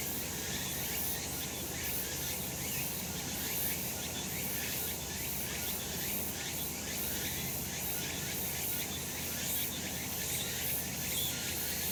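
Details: Cicadas in full sun on a summer mountain keep up a harsh, shimmering buzz made of rapid pulses repeated every half second or so, over a steady shrill hiss and faint low rumble.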